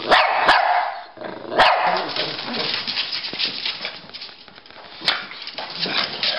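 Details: Pekingese and Bulldog, named Rocky and Bully, barking while they chase each other in play; rapid, rough, overlapping barks and yips with growly scuffles, loud at first, then continuing more quietly with a few sharp bursts.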